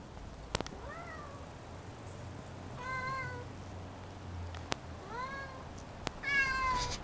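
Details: Meowing from a home with a nine-month-old silver spotted F3 Savannah and two Bengals exploring a new catwalk: three drawn-out, slightly bending meows spaced across a few seconds, with sharp knocks and taps between them.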